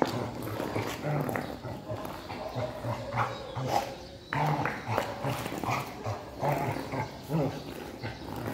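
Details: During play with a stone, a Rottweiler makes low growling grunts in quick uneven bursts, alongside people talking and occasional clatter.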